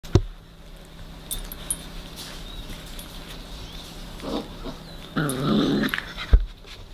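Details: Weimaraner puppy from a 2020 litter, filmed between birth and eight weeks old while being raised, gives one short, harmonic whining growl late in a quiet indoor stretch, with faint clicks, a sharp knock and a person exclaiming afterwards.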